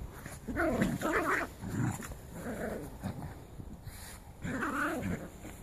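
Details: Jack Russell Terrier x Scottish Terrier mix puppies at play, giving short throaty growls and rough, harmonic snarling bursts, several in quick succession and then another burst near the end, with scuffling between them.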